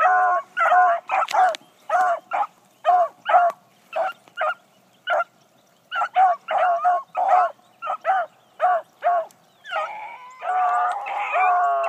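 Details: Blackcreek gyp, a newly acquired female hound, barking steadily while running on her first morning out, short ringing barks tumbling one after another and ending in a longer drawn, wavering bawl.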